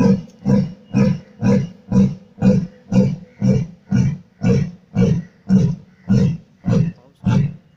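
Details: Lion roaring: a steady run of thirteen deep, loud grunting pulses, roughly two per second, each low and booming with a breathy upper edge, evenly spaced and matched in strength, with no other sounds around them.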